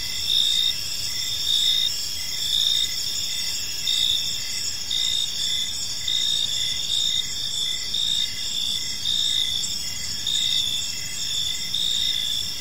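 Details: Crickets chirping in a peaceful park in the evening, a steady high trilling chorus with brighter pulses recurring about once a second over a continuous low rumble of background noise.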